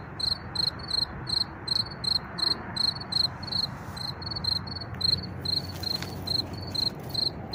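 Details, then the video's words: Field cricket chirping unseen among wildflowers, found by following its sound; loud, evenly spaced pulsed chirps roughly three per second, clear and bright, with background traffic hum and wind noise beneath. "Tücsök Ciripel és Vadvirágok/ Field Cricket Chirping and Wildflowers"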